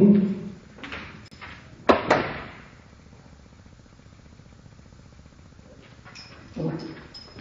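Basset-Beagle barks slowed to half speed, deep drawn-out booms separated by long quiet gaps.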